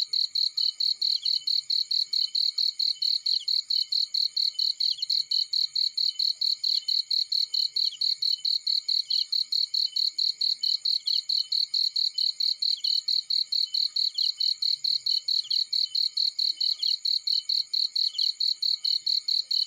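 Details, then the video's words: Cricket in a field, a fast, steady run of high, sharp chirps repeated about twice a second without a break, over a faint constant insect hum and nothing else of note. "Burning with Cricket Sounds"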